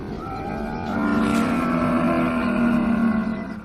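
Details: Young camel giving one sustained groaning bellow, rich in harmonics and steady in pitch, growing louder after the first second and holding for nearly three seconds before fading.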